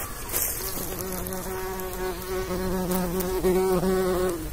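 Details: Bumblebee among pollinating insects, a low steady droning hum with rich overtones that starts just under a second in and runs almost unbroken to the end, swelling slightly near the close.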